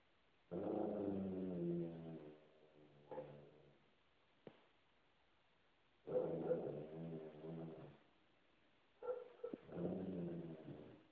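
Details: Basset hound guarding its couch and chasing another dog away: three long, deep, mournful bays about two seconds each, separated by quiet gaps, with short grumbles and a faint thump between them.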